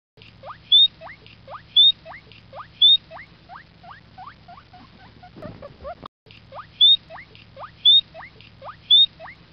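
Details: Guinea pig giving a run of rising, whistled squeaks about once per second, each followed at intervals by a short, shrill higher chirp. A brief rustling break near six seconds, then the same pattern resumes.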